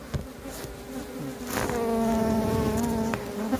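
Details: Bees from a wild colony that swarmed and split, during transfer after the queen is caught; dense humming drone that swells and holds steady through most of the moment.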